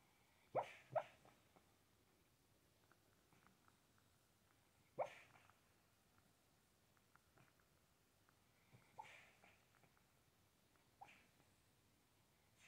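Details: A sleeping dog barks in her sleep while dreaming, with paw twitching, giving soft, muffled woofs in short irregular bursts with quiet gaps, before waking slightly.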